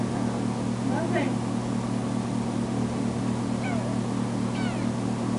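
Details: Foster kitten Tamera, just home from being spayed, meows when her carer leaves; three brief bent meows spaced over several seconds, with a person talking and a constant low droning hum behind.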